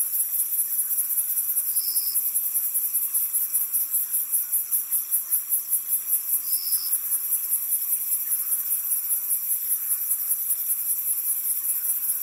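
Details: Crickets and other insects in a swamp keep up a dense, high, pulsing trill, with two brief higher chirps standing out.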